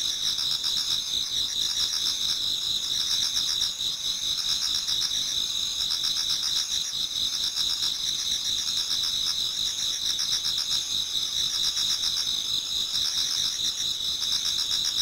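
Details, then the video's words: Before daybreak in autumn, a Japanese garden rings with many insects: an unbroken piercing high drone, rapid beating trills riding on it, and softer chirping pulses repeating throughout. "Autumn Insects voice Towards dawn"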